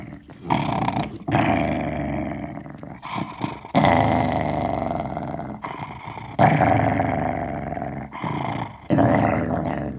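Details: Sealyham Terrier growling indoors while holding a bone: long, rough, low rumbling growls in bursts of one to three seconds, separated by short breaths and gaps, rising and falling in loudness.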